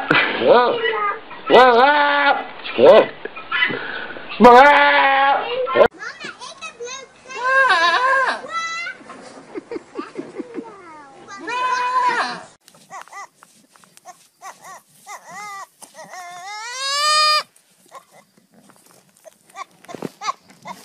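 Goats bleating loudly in wavering, human-like cries, with people talking and laughing between calls.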